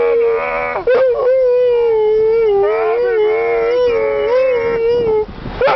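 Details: Husky singing happy birthday in a long, drawn-out howl, steady and slightly wavering in pitch, dipping briefly after a short break near the start, then swelling and sliding before trailing off into a final short upward yelp.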